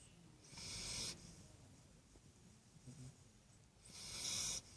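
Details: A young Great Dane pup snores by its owner's side with wheezy, hissing breaths spaced a few seconds apart.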